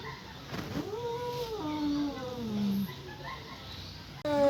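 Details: Domestic cat yowling, possibly in a mating or fighting mood, in Indonesia: a long, drawn-out wail that rises then slides slowly downward with harmonic overtones, followed by a second lower moaning call and a sudden louder burst at the end.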